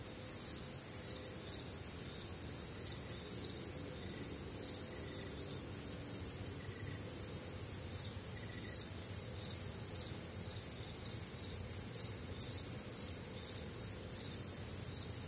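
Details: A humid, warm summer night in the Midwest filled with crickets: steady high chirping in stacked bands, pulsing throughout, joined by a few faint, shorter mid-pitched notes and a low ambient murmur.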